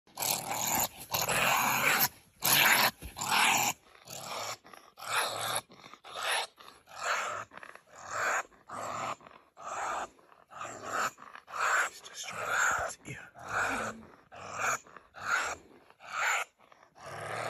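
Rough, breathy growls from a honey badger come in short, uneven bursts about once a second. Each burst is gravelly and wide-ranging, with brief pauses of quiet between them.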